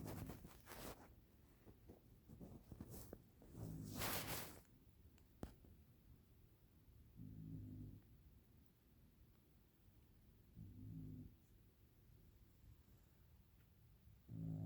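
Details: A dog asleep and snoring: several sharp clicks and rustling handling noises at first, then three low, rumbling snores spaced about three to four seconds apart over a quiet room background.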